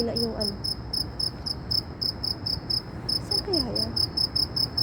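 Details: Shrill insect call recorded in Saudi Arabia, rapid high ringing pulses repeating without pause, briefly interrupted once, with a few short spoken words audible at the start and near the end.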